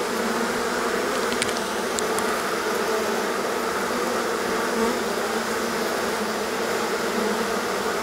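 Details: Honey bees swarming from their colony on a hot day after a long rainy, cold spell; a constant heavy hum of countless wings, with faint high ticks near the start.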